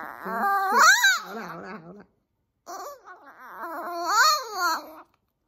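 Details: Maltese hating its nail trimming, howling: two long wavering cries with a brief pause between, each climbing in pitch, peaking, then sliding down, strongly harmonic and tremulous throughout.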